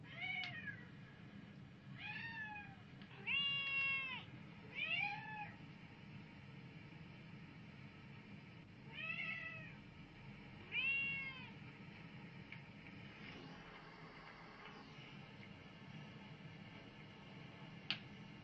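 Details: Pet cat reacting to cat videos indoors; a quick run of bright, arching meows in the first half, then a couple more after a pause, fading into a quiet stretch ending with a single click.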